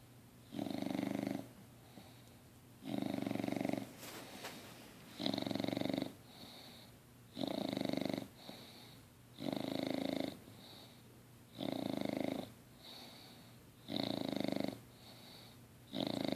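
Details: LuLu, a six-month-old English Bulldog, snoring while asleep indoors: rasping breaths repeat steadily about every two seconds, each loud snore followed by a quieter exhale, with a brief click near the fourth second.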